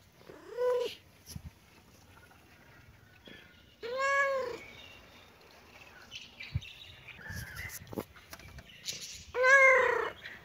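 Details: Baby kitten and cat playing, happy mood; three loud drawn-out meows, each rising then falling with rich harmonics, spaced about three to five seconds apart, with small clicks and rustles between.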